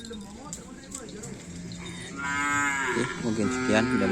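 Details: Cattle at a kerapan sapi bull race on the Lapangan Asemanis field: a long, harmonically rich lowing moo swells in after about two seconds of crowd murmur and background chatter, and holds to the end.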